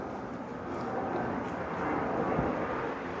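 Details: A continuous low roar of engine noise, like passing traffic or a plane overhead, fills the recording. No animal voices stand out.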